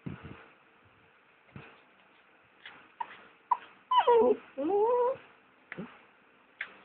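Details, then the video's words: Cookie, a pet dog, whining and crying indoors at 1am on 29 August while her owner packs a bag for a morning trip to Turi Beach; pitched, wavering whines rising and falling near 4–5 seconds, with short yips and soft clicks around them. "Cookie - The dog who Cries"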